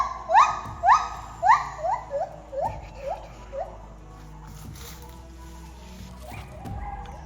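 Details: Wild white-handed gibbons in the jungle of Khao Yai National Park, Thailand, with light barely piercing the canopy: about eight loud, rising whooping notes that come quicker and shorter, then fade into a quiet forest hum.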